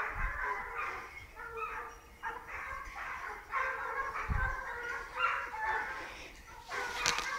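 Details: At the start of a wild boar hunt, as the boar passes, several hunting dogs bark and bay in overlapping, drawn-out bursts, one voice crowding over another.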